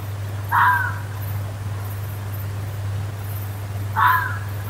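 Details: Fox calling in the woods: two harsh, clipped screams roughly three and a half seconds apart, over a steady low hum.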